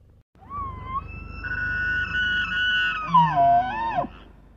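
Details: Bull elk bugling in the snow at Estes Park, Colorado: a high whistled tone sliding upward, held steady about two seconds, then breaking into lower warbling grunts before cutting off.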